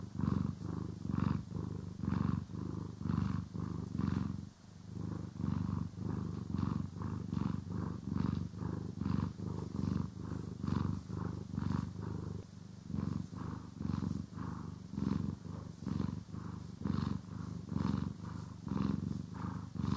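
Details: Cat purring contentedly while groomed and brushed, stereo recording; long stretch of deep rhythmic rumbling, swelling with each breath about once a second, a short dip after four seconds, steady soft brush strokes throughout.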